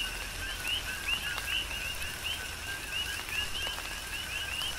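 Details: Tropical rain with coqui frogs calling, Big Island, Hawaii; repeated two-part chirps, a flat lower tone and a rising upper one, several frogs overlapping, while rain hisses and drops tap loudly.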